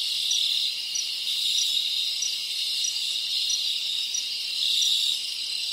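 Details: Rainforest crickets from the Dominican Republic form a continuous piercing trill, layered with soft ticking pulses. The volume swells slightly near the end, and nothing else stands out.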